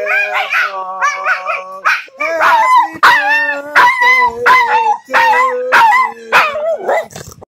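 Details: A Boston Terrier on his third birthday howls in long, wavering, tuneful notes while people sing a birthday song.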